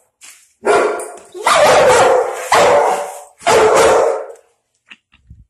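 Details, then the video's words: German Shepherd and Pitbull indoors barking at a dog seen outside, territorial guarding reaction; three loud harsh barks, each roughly a second long with echoing tails, about a second apart, faint soft noises after. "German Shepherd And Pitbull Reaction To A Dog Outside"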